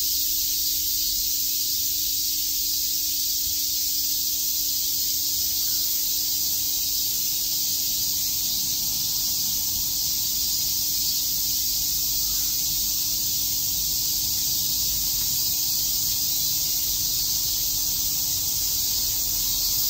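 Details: Many cicadas chirping together on a summer day in Shakujii Park, Tokyo: a dense, steady high hiss-like drone that holds without pause for the whole stretch, with a faint low steady hum underneath.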